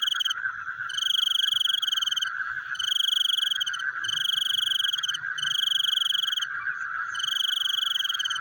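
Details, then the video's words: Night frog chorus: loud, bright trilled bursts about a second long, separated by short gaps, over a constant lower pulsing drone of many callers. "The Sound of Frogs Chewing in the Night"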